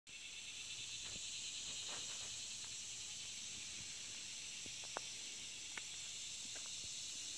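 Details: Locusts chirping so loud that a person can barely think, forming a steady, dense, hissing high-pitched buzz without pause. A few faint clicks and taps occur underneath.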